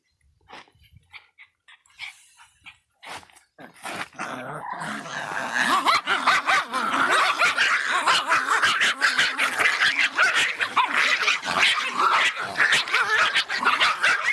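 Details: Miniature Pinscher, described as fierce, giving a few scattered sharp barks, then a loud, continuous volley of rapid, overlapping yapping barks that fills the rest of the recording.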